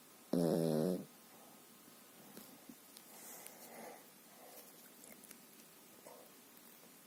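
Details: A sleeping Pekingese gives one short, loud, rasping harmonic snore, followed by faint quieter breathing sounds and light background noise.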